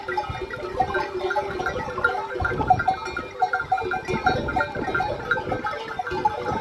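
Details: Flock of Arab sheep wearing bells, out in the desert wild: repeated nasal bleats overlap constant clinking bell notes, with background music blending in.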